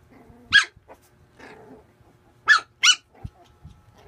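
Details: Puppy at play giving high, yappy barks: one single bark, then a quick pair about half a second apart, with soft scuffling and faint growly noises between them in a quiet room.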